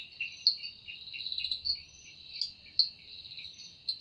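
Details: Cicada in an evening forest, its wings said to produce the sound: unbroken shrill whine with rhythmic lower pulsing beats and several brief louder clicks standing out.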